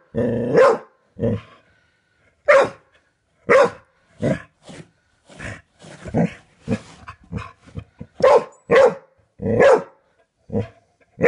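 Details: Inside a house, a dog barks at a doorstop a man keeps flicking; abrupt barks come in a quick series, some spaced a second apart, others clustered, with faint clicking sounds between.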